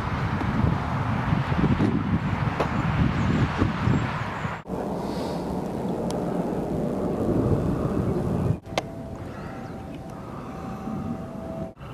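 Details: Gusty wind buffeting the microphone over distant traffic-like rumble, with brief cut-outs and a faint tone near the end.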